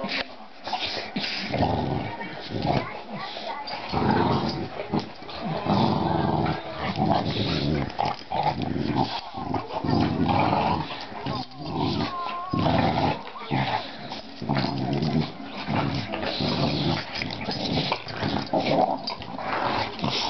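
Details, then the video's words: Two dogs play-fighting, biting each other without really biting, filmed 24 May 2009; a steady stream of rough, rumbling growls and snarls with short gaps, loud and continuous across the recording, with occasional human voice in the background. "ROARRRRR these are my guys!"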